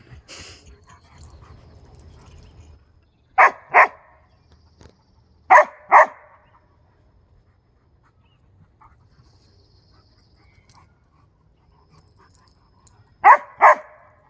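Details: A husky and a briard, pet dogs indoors, trade loud double barks spaced a few seconds apart, with long quiet gaps and faint shuffling noises between the bursts.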